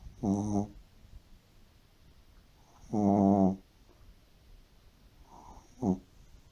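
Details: Shih Tzu pet dog sleeping deeply indoors, snoring like an old man: three separate rough, buzzy snores with rich harmonics, two longer ones of about half a second and a short final one, spaced unevenly across a quiet room.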